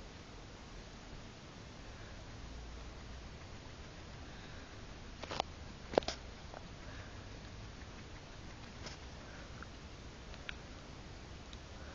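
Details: Steady low room noise with a few soft knocks and taps, and no clear animal voice. Brief clicks stand out near the middle and toward the end, but nothing sounds like a bark, whine or other call.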